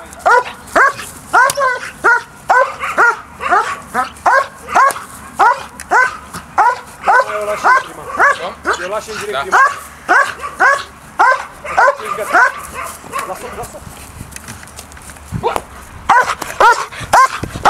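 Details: Briska, a DDR German Shepherd female, barks during early bite training with an agitator: quick harmonic barks near two per second for about fourteen seconds, then quieter, with human voices underneath.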